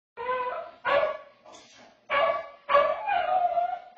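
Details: A pet dog howling, caught on a home security camera: drawn-out, wavering tonal howls with rich harmonics, broken into several rising-and-falling phrases with short gaps between them.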